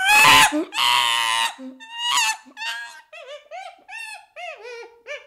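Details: Baby chimpanzee opening with harsh, loud screeching cries, then settling into a string of softer tonal whimpers that waver and drop, each about half a second apart.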